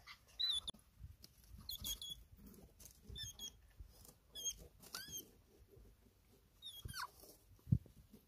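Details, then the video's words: Pet hedgehog Dochi, a male, calling after smelling the scent of his partner Choco; a series of short, high, thin squeaks and chirps in brief clusters, with soft rustling and handling noises between them. "The sound a hedgehog makes when it smells its beloved hedgehog."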